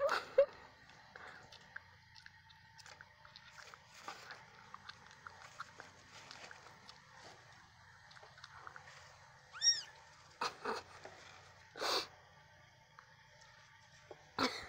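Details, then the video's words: Two black cats, Archimedes, the smaller one with legs wrapped for swimmer's syndrome, and Reaper, playing indoors; one short high rising-then-falling mew near the end, among soft scuffling, thumps and a few sharp knocks. "Archimedes and Reaper playing"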